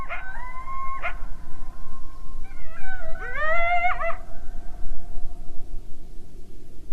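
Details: Coyote, a wild North American mammal, giving smooth sustained tonal howls that hold level, then a wavering rising-and-falling howl with sharp yips at the start, over a steady low background rumble.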